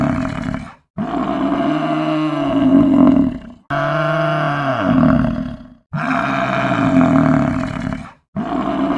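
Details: Buffalo giving deep, drawn-out moaning bellows, each lasting about two to three seconds and swelling in loudness, repeated with short silent breaks.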